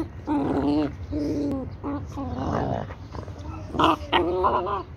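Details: Labrador Retriever puppy play-fighting with its mother: a run of high, wavering whines and yelps with rough growly edges, bursts lasting under a second, repeated through the clip, a louder squeal near the end.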